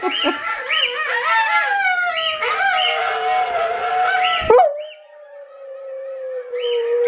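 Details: Sojou, an Alaskan Malamute, answers her relatives Ejo and Niji over technology with sustained, wavering howls in layered voices. After a sharp break, one steady, drawn-out howl follows, then a return of short chirping notes.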